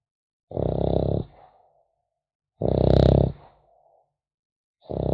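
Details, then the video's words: French Bulldog puppy asleep, snoring in a relaxing ASMR recording: deep, rumbling snores roughly every two seconds, each lasting under a second and fading into a soft breathy exhale, with silence between. "Храп щенка французского бульдога"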